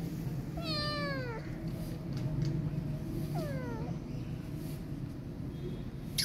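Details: Kitten left by her mother, scared and not letting anyone touch her, utters two downward-sliding meows, the first longer and fuller, then quiet with only a low steady background hum.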